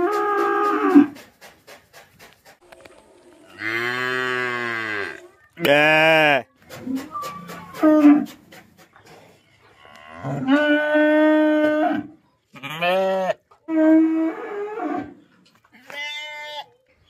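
A Jersey bull gives a series of deep, drawn-out moos, each rich and droning.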